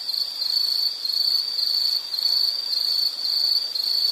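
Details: Insect calling for relaxation and sleep ambience, a continuous high-pitched shrill trill broken into short pulsed phrases of about a second each, steady and unaccompanied.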